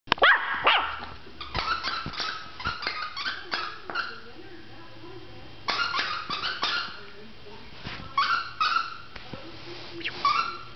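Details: Small indoor dog giving a run of short, sharp, high yapping barks in quick irregular bursts with brief pauses, some barks doubled, while a person talks softly in the background.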